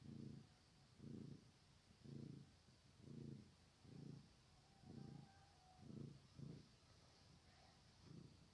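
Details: Kittens purring steadily, the low rumbling purr swelling and fading in rhythmic bursts about once per second, with a faint thin tone drifting in the background midway through.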